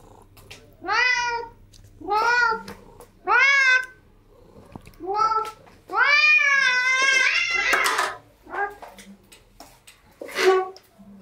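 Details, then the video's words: Cats at a breakfast table meow in a series: four evenly spaced arching meows about a second apart, then a long wavering drawn-out call, followed by faint clicks and a soft thump indoors. "Cats at Breakfast Table"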